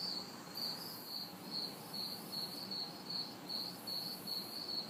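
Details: Crickets and cicadas chirp steadily in high, pulsing trills in a city backyard on a hot, humid summer night, several voices overlapping, with faint distant traffic noise.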